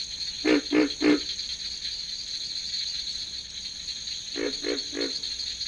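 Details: A pig frog (Lithobates grylio), which has internal vocal sacs, gives deep, pig-like grunts in quick bursts of three over a steady high insect hum.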